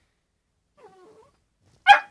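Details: A 13-week-old Shetland Sheepdog puppy indoors, reacting to his reflection in a mirror: a faint, soft whine, then a single short, sharp bark.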